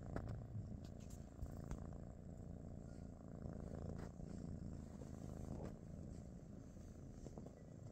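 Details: British Shorthair cat purring on a morning at home with Pikachu, Teddy and their niece Rosie; a steady low rumbling purr runs unbroken through the whole stretch, with a few faint soft clicks above it.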